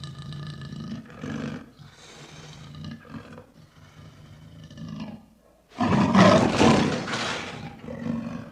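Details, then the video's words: Lion producing low rumbling grunts that build into a loud, harsh full-throated roar near the end, followed by quieter deep growls. "Lion Roaring"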